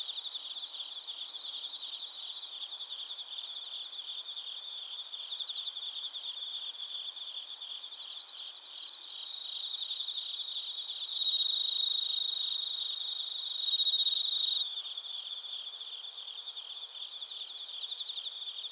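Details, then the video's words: Crickets and bell crickets chirping in Narita, Chiba, Japan, recorded on a TASCAM Portacapture X8: dense, high trilled pulses repeated steadily over a continuous insect chorus, with a louder steady tone and rising level midway. "スズムシとコオロギの鳴き声 - Chirping of crickets"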